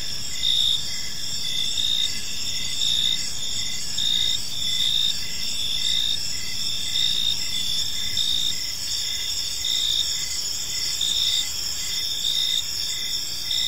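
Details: Crickets chirping in a peaceful park in the evening: a steady high-pitched trilling chorus with fainter, shorter pulsed chirps repeating about once a second beneath it, over a soft low background hum.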